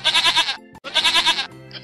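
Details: Goat bleating twice, each bleat a high, nasal, trembling cry pulsing about six times, separated by a short gap, with faint music after, used to teach children farm animal sounds.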